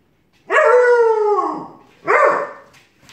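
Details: Siberian Husky and Alaskan Malamute puppy arguing, turning into howling: one drawn-out harmonic howl lasting about a second, slowly falling at the end, then a shorter second yowl.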